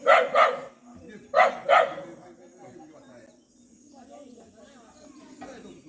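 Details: Abandoned dog, left three times, being rescued; four loud, short barks in two quick pairs during the first two seconds, then quieter rustling and faint background murmur.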